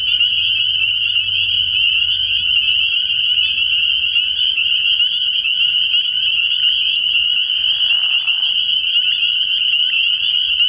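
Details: Many spring peepers calling at night from a frog pond early in the year: a dense, unbroken wall of high, shrill peeps merging into one steady ringing band, with a brief lower, rougher sound near the eighth second and a faint low rumble.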